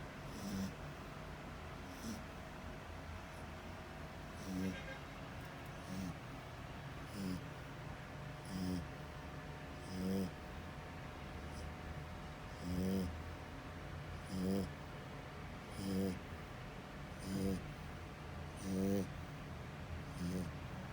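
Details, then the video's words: French Bulldog asleep and snoring. Short, throaty snorts repeat roughly every one and a half seconds for twenty seconds, over a faint background murmur. "FRENCH BULLDOG LOUD SNORING"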